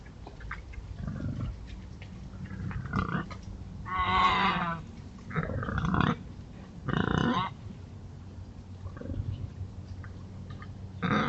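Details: Wild boars scratching in the Forest of Dean, giving rough, breathy grunts and squealing snorts in short bursts every one to three seconds, some louder and harsher, with low rumbling in between.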